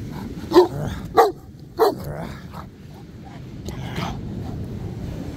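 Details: Black Newfoundland on a beach walk demand barking for connection and play; three sharp barks in quick succession, then softer low vocal sounds and a man's voice over constant wind and surf.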